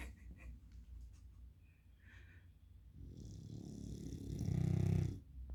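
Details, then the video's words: A Beagle asleep indoors, quiet breathing at first, then one slow rasping snore that builds over two seconds into a loud, deep rumble before stopping abruptly. "Бигль спит) и храпит))"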